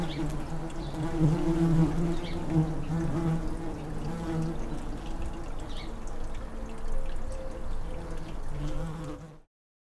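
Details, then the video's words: Deep steady drone from tree bumblebees (Bombus hypnorum) in a garden nestbox once used by blue tits, where an entrance bee fans cool air inside during hot weather; the hum fades slightly before ending abruptly. "Tree bumblebees (Bombus hypnorumin) in a nestbox with air-conditioner bee."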